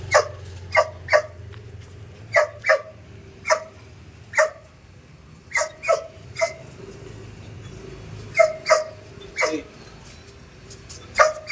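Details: Belgian Malinois puppy in basic obedience training on the stay command, barking in clipped, repeated bursts, often doubled, scattered steadily across the stretch over a quiet low rumble.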